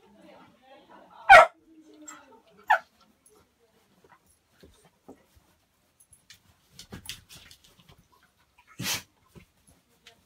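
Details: Beagle puppy and Labrador left alone together in a hallway during a Christmas party; a few sharp isolated barks or yelps, one loud burst near the start and another near the end, with quiet whimpers between and faint voices.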